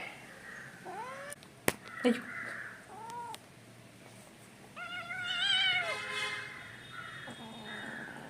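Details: Angry, naughty pet kitten named Kunjan at home, sounding a string of meows: short rising calls, then a long harsh wavering yowl, with faint background hum.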